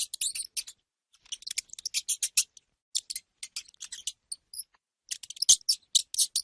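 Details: Rapid, shrill chattering squeaks from a hamster come in uneven bursts, with a couple of brief thin tones and one sharp click, against silence.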